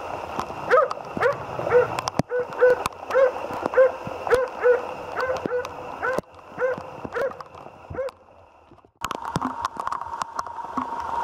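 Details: On a moose hunt, the Jämthund Otis gives a steady series of short barks about twice a second, pausing near eight seconds before a droning hum rises; clicks and crackles throughout.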